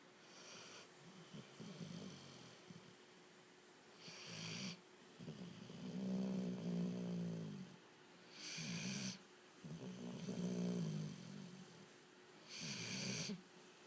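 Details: Ely, a pet dog, snoring while asleep: deep, rumbling low snores in slow irregular breaths, several long buzzy inhalations alternating with brief hissy exhalations, roughly fourteen breaths a minute, in a quiet indoor setting.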